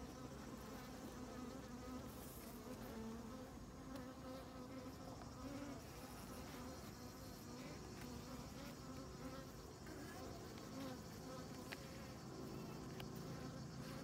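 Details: Honey bees on comb honey, filmed without commentary; a steady, dense droning hum from many bees with a low fundamental and stacked harmonic bands, unbroken for the whole stretch, with faint scattered ticks.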